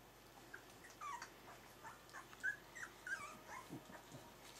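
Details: Three-week-old Berger des Pyrénées puppies whimpering indoors: a run of short, high, wavering squeaks and whines, some rising then falling, coming in quick irregular bursts over a faint steady hum.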